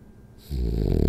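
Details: Rolly, a French Bulldog asleep during a power nap indoors, starting a loud, low, fluttering snore after a brief quiet moment.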